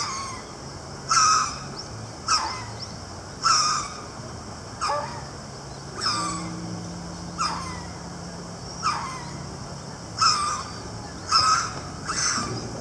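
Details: Ruffed lemur in a zoo enclosure at Ueno Zoo in December 2018, uttering a series of harsh, grating barks at uneven intervals of one to two seconds, with a low steady hum running through the middle.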